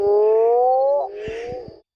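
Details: A male Mexican burrowing toad (Rhinophrynus dorsalis) at a temporary pond's edge after heavy rain gives its loud, low, moaning mating call, drawn out and slowly rising, to attract females.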